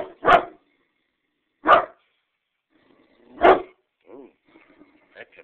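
A Great Dane gives three deep, booming barks spaced a couple of seconds apart.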